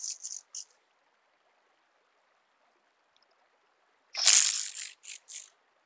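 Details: Speckled buzzing grasshopper (Bryodemella tuberculata) at Vorderriss, Germany, on 11 August 2022, giving dry, high rattling bursts, with one longer crackling rattle between short ones.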